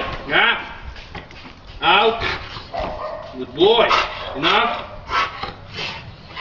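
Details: Dog during attack and bite training, giving short harsh barks in bursts around four times across the stretch, with people talking over and between the barks.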